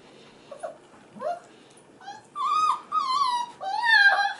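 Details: Crying male F1b Goldendoodle puppies at five and a half weeks, heard indoors while female littermates play; short yelps give way to three long, level whining cries, each lasting about half a second.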